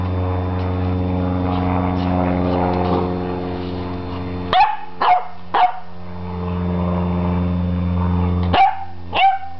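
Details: An 11-week-old beagle puppy confronting a broom gives a few short sharp barks in two bursts, around 4.5 and 8.5 seconds, over a steady low mechanical hum.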